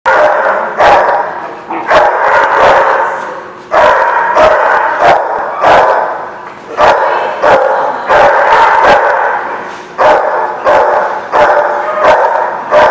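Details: Dogs at a kennel or dog lot, recorded 11/4/16, barking almost nonstop: many overlapping barks from several dogs, sharp repeated bursts roughly every half second to second, forming a dense continuous chorus.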